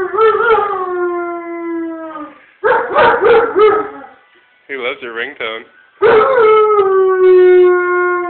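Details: A German Shepherd, set off by a family member's phone ringtone, howls like a coyote in long, falling, harmonic tones, with yipping, wavering notes between the drawn-out howls.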